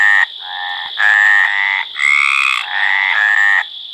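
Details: Mediterranean tree frog (Hyla meridionalis) giving its mating call: four long, low, harmonic croaks, each under a second, separated by short gaps, over a steady high-pitched whine.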